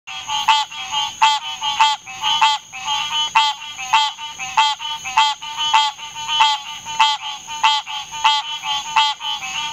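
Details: A green tree frog (Hyla cinerea) gives nasal, honking calls over and over, roughly one and a half per second.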